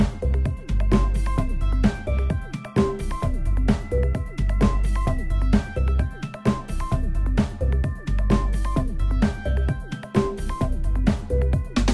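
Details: Electronic dance music with a heavy, pounding beat and synth notes runs throughout, with no other sounds.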